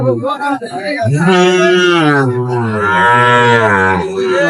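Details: Sahiwal bull at Ambari cattle market, Bangladesh, on 23 May 2025, giving a long, loud, deep moo that swells and wavers for over three seconds after a man's brief speech.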